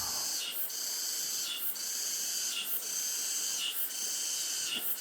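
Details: Cicadas mixed with katydids and crickets, on Mallbok, the hottest day of summer, at the entrance to Cheongnyongsa temple, Anseong, Korea, give a continuous high, sizzling drone pulsing about once a second; voices and flowing water also present.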